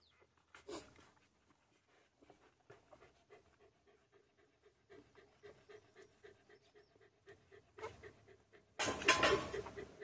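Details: A little puppy suckles from a stray dog and manages to drink. Soft rhythmic pulses come about twice a second, ending in a loud, noisy rustling burst.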